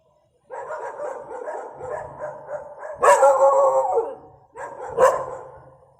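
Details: Angry, aggressive dog: a sustained, rumbling, harsh growl for about two and a half seconds, then a loud, noisy snarling bark with a drawn-out growl, and one more sharp bark near the end.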